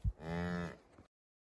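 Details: Highland cattle on a Finnish farm, a day-old calf following its mother through the forest on 29 October 2022, recorded with an iPhone 11: a short, steady, harmonic moo lasting about half a second after a low thud, then silence.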